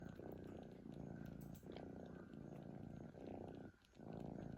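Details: Sleeping cat snoring: a low, rough, rasping rumble in steady breath cycles roughly every second and a half, with a short quiet gap between breaths near the end.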